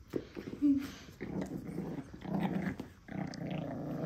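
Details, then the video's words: Pekingese puppy growling indoors while guarding its beloved monkey doll during play; several rough growl bursts of about a second each, low and buzzy, with brief gaps between them. "Fight with monkey"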